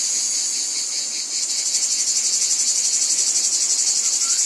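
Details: Cicadas calling in a wheat field: a dense, high, hissing buzz with fast throbbing pulses, slightly softer for the first second and a half, then steady and strong to the end.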